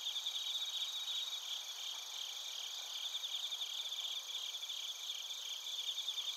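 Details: Narita, Chiba Prefecture, Japan: a chorus of bell crickets and crickets recorded on a TASCAM Portacapture X8. High, shimmering continuous trills blend with quick rhythmic pulses in several pitch bands, forming an unbroken night-insect texture.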